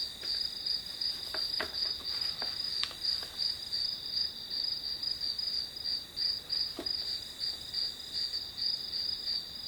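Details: Grass insects trilling behind a one-hour study session, shrill high chirps pulsing about three per second, with a few soft taps and clicks scattered in the first seconds and once more later.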